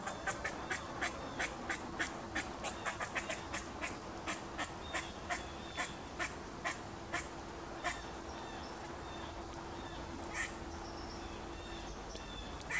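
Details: Angry squirrel giving a long run of sharp, dry, clicking chucks, rapid at first and then slowing, over a steady background hum with faint bird calls.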